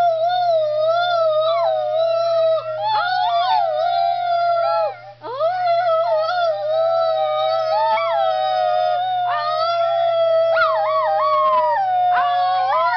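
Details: A Schnauzer named Piper howls almost without a break: long, steady, tuneful notes that wobble and bend in pitch, with only a brief dip partway through.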